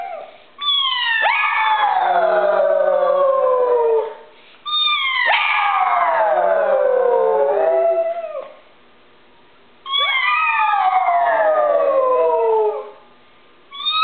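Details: Pet pug howling along with its owner's howl after barking at a doorbell ring: three long drawn-out howls of about three seconds each, every one starting high and sliding steadily downward, with short silent gaps between.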